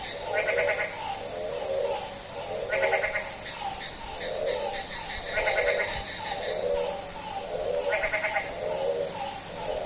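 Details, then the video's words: A goat-like bleating frog at midnight on a rainy day, giving a run of low, pulsed bleats about every second, with bursts of higher, rattling pulsed calls from other frogs and a constant rain-like hiss. "Frog roaring like a Goat"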